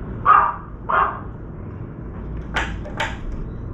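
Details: A puppy barks at a crow that is soaking a chunk of meat in a water bowl, and the barking drives the crow off to the forest. Two quick barks sound close together, followed by two sharp clattering knocks.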